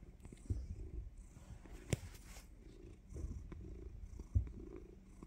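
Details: Pet cat purring just before delivering a surprise bite; low, rough rhythmic rumble rising and falling with each breath, punctuated by a couple of sharp bumps.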